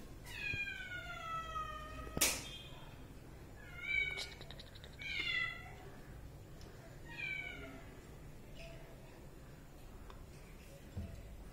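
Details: Kitten meowing in a few high, thin calls with falling tones, each under a second, spaced by quiet gaps; a sharp click near the start and faint low background hum.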